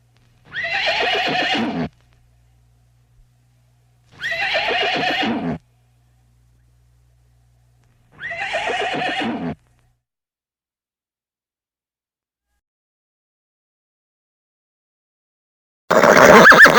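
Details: Horse neighing three times, each whinny about one and a half seconds with a trembling, wavering quality, spaced by short pauses, followed by long silence and a final loud burst at the end.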